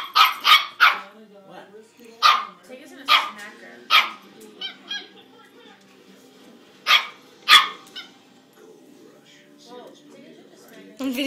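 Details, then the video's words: Pet dog barking and making meow-like noises between barks, upset that a cat won't play with her; sharp barks in bursts, several around the first four seconds and two more near seven seconds, with soft whines between and a person speaking. "The barking and meowing dog"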